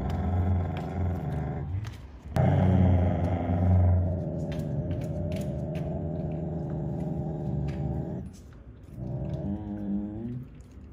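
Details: Siberian Husky Jotunheim, the largest young male of seven, growls defending his sister Tiara's toilet paper from another sister; long rumbling growls with a louder surge around two to four seconds, a short break, then wavering growl.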